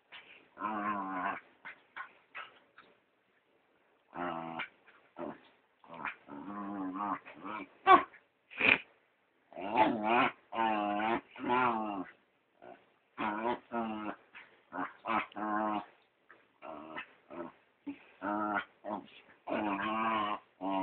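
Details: Pet dachshund/chihuahua mix The PeeWee bugs fellow dog Dr. Weener in play, recorded by phone. Strings of nasal, whiny grunts and squeals come in uneven bursts, some drawn out and wavering, others clipped and sharp, with short silent pauses.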